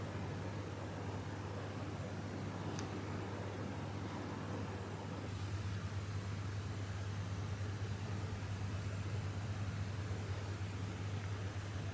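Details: A winter snowstorm in Aomori, Japan, with strong west wind roaring steadily across open land over a constant low hum, and no animal sound.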